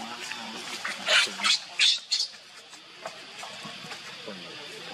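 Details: Pitiful cries of baby monkey Leo, who is begging his mother for milk: three loud, high, harsh squeals close together early on, then quieter fragments, with low human speech underneath.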